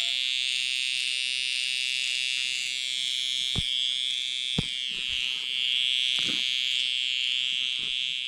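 A cicada gives a loud, steady, high-pitched electric buzz that holds unbroken from start to finish.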